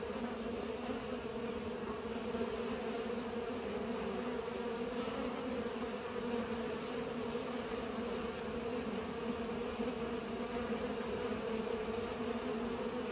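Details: Bees pollinating, giving a steady, dense droning hum that runs unbroken throughout with a low, even tone and no other clear sounds.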